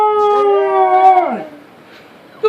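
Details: Two pet dogs howling on command as their owner urges them to sing: a long, steady, harmonic-rich howl that holds level and then slides downward and fades after about one and a half seconds.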